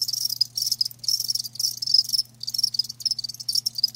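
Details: High, buzzy cricket chirps come in bursts of about half a second separated by short gaps, from live crickets, with a soft low hum in the background.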